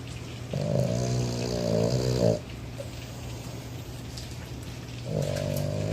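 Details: Boston Terrier in Texas napping with his eyes open, snoring like a human: a long, low, buzzing, harmonic snore for nearly two seconds, a quiet pause, then the next snore beginning, with a faint steady hum underneath.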